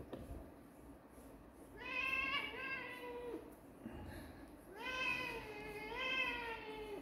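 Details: Kittens meowing indoors: a short drawn-out meow, then a long wavering one, and after a pause two more stretched, rising-and-falling meows close together. Faint background hiss throughout.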